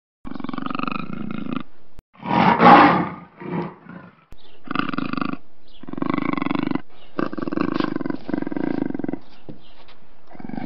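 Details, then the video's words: Black panther vocalising: steady rumbling pulsed growls broken by one loud, harsh roar-like burst near the third second, then more grinding rasps. "Tunog ng ITIM NA PANTHER | Sound of BLACK PANTHER"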